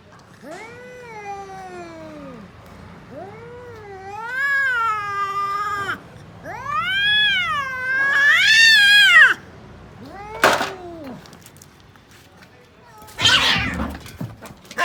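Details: A cat fight: repeated arching caterwauls climbing higher and harsher with each cry, then abrupt noisy spitting hisses in short bursts.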